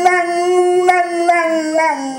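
An English Springer Spaniel gives a long, steady howl that sags slightly in pitch toward the end.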